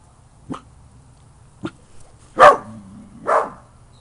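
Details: Misty, a 7-month-old dachshund, beagle and terrier mix puppy, playing in a backyard: two short sharp yips followed by two louder, fuller barks about a second apart, with a low hum underneath.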